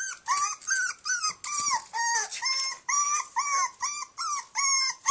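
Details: Puppy locked in a cage for the night, crying: rapid series of high, arched whimpers and yelps, about two per second, each a short bent whistle-like cry with harsh overtones, steady and insistent throughout.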